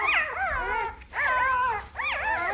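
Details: Newborn Great Bernese puppies, a Great Pyrenees and Bernese Mountain Dog cross, five days old, getting noisy; overlapping high, wavering whines and squeals with rising-falling harmonic arcs in three bursts, separated by brief pauses.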